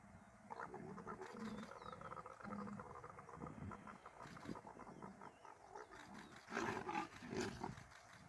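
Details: Leopard at Mala Mala during the mating season giving low, rough, rasping calls in short repeated bursts over a noisy background, with a louder burst of broad rustling near the end.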